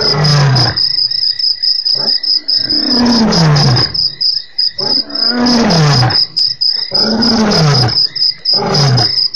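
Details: Male lion recorded via an African webcam, 3/04/08: a run of deep, groaning roars that fall in pitch, each lasting one to two seconds with brief gaps, under a constant high cricket trill.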